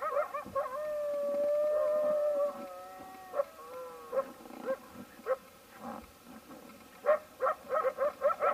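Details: Wild coyotes quarreling over a bison carcass give a long, steady, tonal howl that bends downward, followed by a quick series of sharp, choppy yips and barks.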